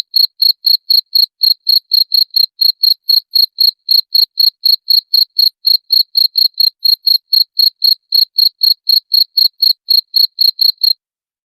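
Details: Rat-repelling cricket sound: a continuous train of piercing, evenly timed chirps, roughly four each second, clear and loud against total silence.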